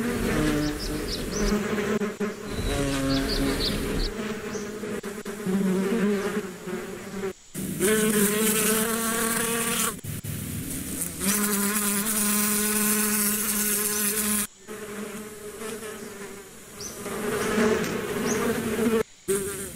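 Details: A steady, layered humming of bees with pulsing loudness and several abrupt silent cuts between stretches of drone, with faint high chirps now and then.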